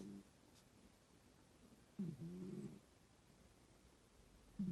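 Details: Domestic cat snoring while asleep indoors: soft, low rasping breaths, one clear snore in the middle and fainter ones at the start and end, in a quiet room.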